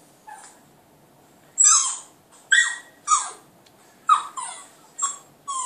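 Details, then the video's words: Clyde, a Border Terrier pup, howls at a computer indoors: a series of sharp, high, falling yelps and short howls roughly every half second to second, separated by brief quiet gaps. "clyde puppy howling at computer"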